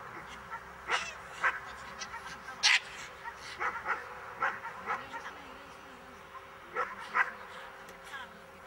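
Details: Miniature English bull terrier during a defence lesson, barking in short sharp bursts at irregular intervals, some in quick pairs, over a low background hum.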